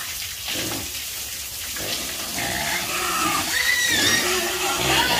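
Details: Farm pigs squealing and grunting through a steady broadband hiss, with thin high squealing tones rising and wavering in the second half and the noisy background growing slightly louder toward the end.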